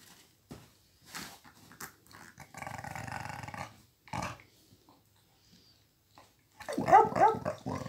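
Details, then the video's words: A one-year-old Miniature Pinscher growls while stealing a toy from an almost twelve-year-old Pitbull, indoors; a low rough growl rumbles for about a second mid-clip amid scuffling, with sharper short cries near the end. "Pincher mini, robando juguete a Pitbull!!"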